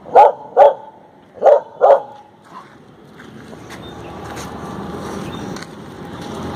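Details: A female Indian pariah (desi) dog on her morning walk gives four sharp barks in two pairs, then falls quiet under outdoor background noise.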